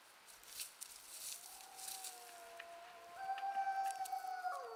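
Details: Wild wolves in the Yukon, recorded by a trail cam: a smooth, sustained howl enters at mid pitch and holds steady. A second, lower howl joins near the end, overlapping the first in a long drawn-out chorus.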